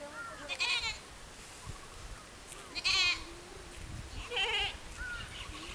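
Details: Little goat in a field with another goat: three loud, wavering, harmonic bleats about two seconds apart, each roughly half a second long, over a quiet, faintly noisy outdoor background.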